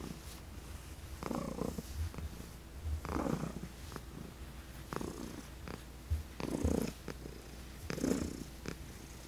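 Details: Elderly female house cat adopted from a New York City shelter, purring during chin rubs; a continuous deep rumble rises into louder breathy surges about every two seconds, interspersed with light scratching sounds.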